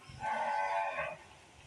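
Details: A sacrificial cow for Qurbani, said to weigh about 300 kg, gives a single short low moo with a tonal, slightly wavering voice lasting about one second, with men talking nearby.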